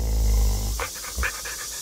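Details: Pet dog panting while having its teeth brushed, one of several dogs that had only ever had dental chews and keeps licking at the toothpaste; a low rumble gives way to a few short, breathy huffs.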